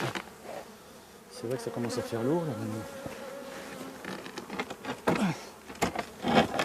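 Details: Honey bees from a drone-laying hive, shaken off their frames about fifty metres from the apiary. A close bee drones past with a wavering buzz that bends up and down, followed by softer buzzing, rustles and clicks.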